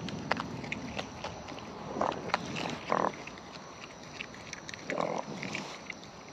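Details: Wild raccoons eating at close range: ticking bites and crunches throughout, with a few louder, muffled smacking bursts near two, three and five seconds over low background rumble.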